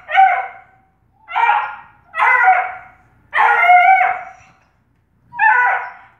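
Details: A Bluetick Coonhound puppy, trying to play with the cats, gives a series of high, harmonic yelping barks about a second apart.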